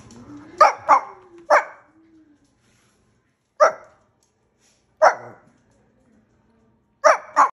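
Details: A Shih Tzu dog barks on command, seemingly talking: short sharp barks, a quick pair then single barks spaced a second or two apart, ending with a double bark; faint music underneath.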